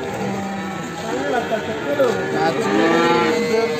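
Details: Limousin calf heard in the morning at Ambarketawang, Sleman: several short, overlapping moos at different pitches, ending in a longer drawn-out moo, amid crowd chatter and steady background noise.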